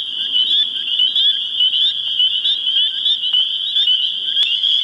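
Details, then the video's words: In spring in New Hampshire, a dense mating chorus of spring peepers (Pseudacris crucifer) gives many high, piercing peeps that overlap into a continuous ringing wall of sound. "spring peeper mating call - HD"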